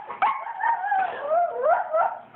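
A Cairn Terrier gives a drawn-out, wavering whine that rises and falls like it's talking.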